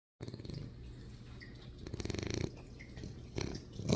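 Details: Shar Pei puppy, newly acquired, snoring in its sleep: low, rough, rumbling rasp in pulsed breaths, swelling louder around two seconds and again near the end, with faint clicks and light room noise behind.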